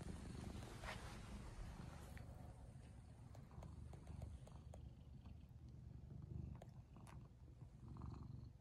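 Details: Saku the cat purrs during a night-time walk. A soft, low, pulsing rumble runs throughout, with faint scattered clicks and rustles above it.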